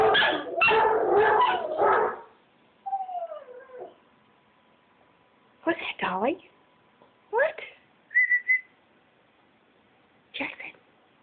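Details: Small pet dog, part Chihuahua, howling along with another dog's voice played from a recording. A rough, noisy burst opens, then wavering, harmonic whines and howls rise and fall in short bouts, with a brief high whistled note near the end.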